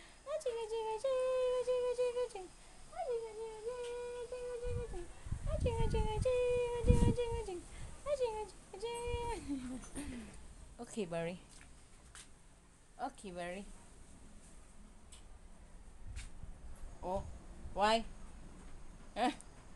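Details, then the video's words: Siberian Husky arguing: drawn-out, howl-like moaning tones that rise, hold and bend, broken into phrases, with a burst of breathy low noise mid-way and shorter wavering yelps toward the end. "HUSKY ARGUING"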